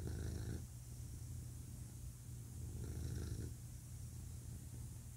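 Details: Male pet cat purring, a deep low rumble with two louder, coarser surges on alternating breaths, softening to a quieter steady hum between.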